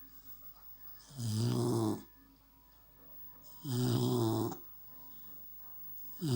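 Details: Sleeping American Staffordshire Terrier puppy snoring: two full rasping, low-pitched snores about two and a half seconds apart and the start of a third, separated by near silence in a small room.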